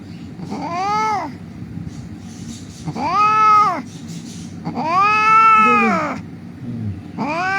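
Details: Injured street cat crying during a rescue: three long, arching meows, each rising then falling, spaced about two seconds apart over a low background hum.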